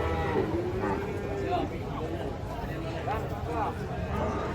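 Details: Weak, thin cattle coming down off a truck: several short, wavering moos rise and fall in the first half, over constant background voices and handling noise.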